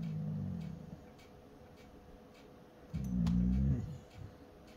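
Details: A 3-year-old male Carolina dog (American Dingo) gives two low, rumbling growls separated by a short pause.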